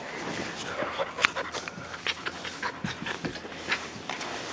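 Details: Australian Shepherd and Siberian Husky mix puppy, about 9 to 10 weeks old, kept indoors, panting in quick breathy huffs in an uneven series, with a person talking softly now and then.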